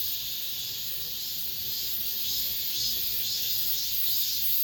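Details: Cicadas singing in an apartment complex, among the last of this summer: a dense, steady high-pitched buzzing that fills the upper range without pause, with a faint pulsing shimmer running through it.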